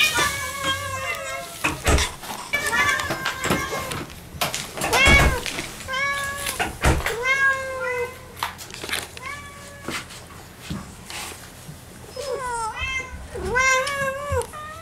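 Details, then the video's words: Moo, a pet cat, greets her returning owners at the front door with many quick arched meows, several in rapid bursts, while human speech, clattering and indoor handling noises sound around her. "Cat happy welcome 2 !! 玄関開けたら2秒でにゃんこ♪♪"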